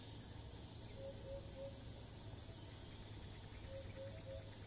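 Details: Cicada recorded on a tree in Thailand, calling again right after landing; a sustained pulsing high-pitched buzz continues, with two short bursts of low repeated whistles.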